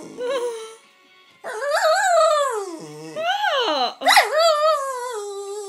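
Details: Pennie, a pet Jack Russell terrier demanding her owner's coffee, gives long wavering whine-howls that rise and fall, broken by a brief low grumble and a sharp yelp-like cry; faint music behind.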